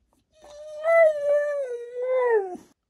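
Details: Indoors, a female Siberian Husky argues with a smart speaker. A rising, swelling howl holds fairly level, dips slightly midway, then lifts again before falling off at the end, about two and a half seconds long.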